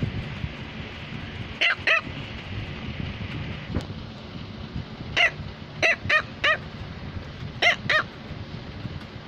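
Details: A female Cavalier King Charles Spaniel barks indoors to tell her owner something. Short, high, yappy barks come mostly in pairs, spaced by a few seconds of quiet room noise.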